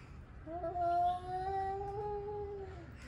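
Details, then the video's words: Male cat, angry and warming up to fight, gives a drawn-out tonal howl of almost two and a half seconds, holding a steady pitch with a slight waver and a small rise near the end. "Angry male cats warming up for fighting"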